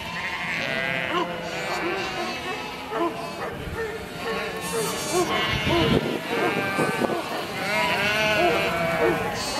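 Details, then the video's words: A herd of sheep bleating continuously, many overlapping wavering, quavering bleats at once, some higher and some lower in pitch, forming a dense chorus with no pauses. "HERD OF SHEEP | Sheep Sounds"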